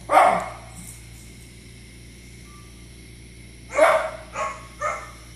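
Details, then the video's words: Izzy, a pet dog, barking at dogs shown on TV indoors: a sharp bark at the start, then after a quiet gap a louder bark followed by two shorter ones, with steady electrical hum underneath. "Izzy barking at You Tube dogs on TV"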